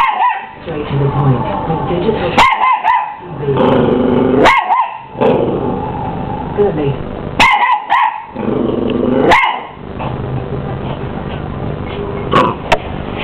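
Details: Miniature English Bull Terrier puppy, 12 weeks old, confronting a hoover indoors: repeated sharp barks with a bent, yappy pitch, some low growly notes between them, all over the constant roar of the vacuum cleaner.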